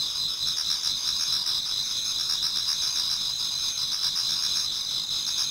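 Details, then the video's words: Autumn insects in a Japanese garden near dawn, many singing at once: continuous shrill ringing trills layered over a fainter, quickly pulsing chirr, no other sounds. "Autumn Insects voice Towards dawn"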